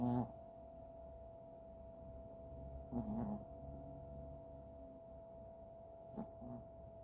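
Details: Chihuahua snoring at rest: soft, noisy snorts return about every three seconds between quiet breaths, under a steady electrical hum.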